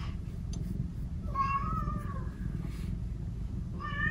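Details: Pet cats Omusubi and Ace chatter affectionately in the morning, one in a playful mood and wanting attention. Two clear meows: a long wavering one that rises and then falls, and a short one at the end, over low indoor hum.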